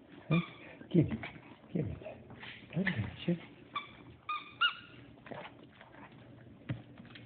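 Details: Poptart, a 17-year-old Yorkshire Terrier with a small-dog rescue, during a play session: short, high whining yips with clear harmonic tones come in scattered bursts, mixed with low grunting sounds and people talking nearby indoors.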